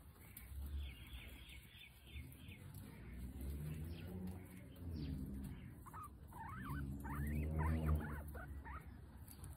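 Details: Guinea pig named Potato during nail clipping: a quick run of short chirps early on, then several wavering, bending squeaks near the end, over a low humming, voice-like drone.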